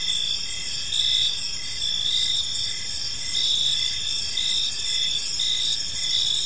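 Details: Crickets chirping in a peaceful park in the evening: a steady high-pitched chorus of pulsed trills, with louder chirps about once a second over a continuous shrill background hum.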